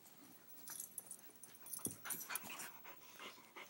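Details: Two dogs playing together, Churchill at 16 weeks and Sofia at 6 years, breaking into play indoors; soft breathy huffs and scuffling bursts, fairly quiet, with faint rustling throughout.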